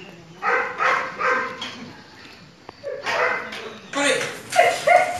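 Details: Belgian Malinois named Asyong during bite work training. Sharp barks come in two bursts, four quick barks and then another rapid run of barks, with some background noise between them.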